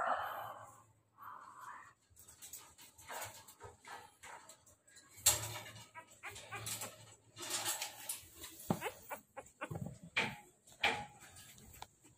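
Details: Two-week-old American Bully puppies from a Bruno x Queen Lala litter whine in high, thin whimpers over the first two seconds, followed by handling noise and Tagalog speech with scattered soft squeaks.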